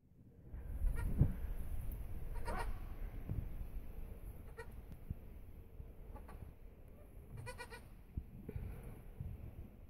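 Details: A Nubian goat that has just given birth bleats repeatedly, each call nasal and quavering, rising briefly before breaking off, with softer rustling and low background noise between calls.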